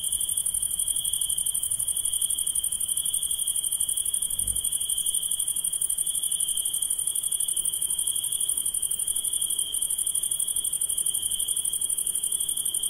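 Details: Insect at night keeping up a steady, high-pitched buzzing trill in fast even pulses, two sustained tones layered together, a brief low thump partway through and faint background rumble.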